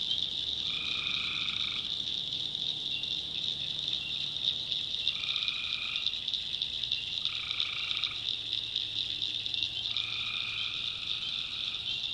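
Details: Tree frogs at night in a North Carolina backwoods swamp, a constant high trilling chorus punctuated by four separate nasal croaks lasting about a second, arriving at irregular gaps of two to four seconds.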